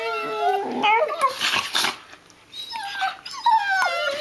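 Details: Two six-month-old Border Collie puppies play-biting each other with new teeth, giving tonal whining yelps that bend up and down, mixed with breathy gnashing and scuffling noise.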